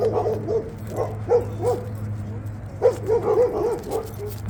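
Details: Labrador Retriever playing with a ball on an icy dog park in cold weather; quick high yips and barks in short clusters, a busy burst near the end, over a steady low hum and outdoor background.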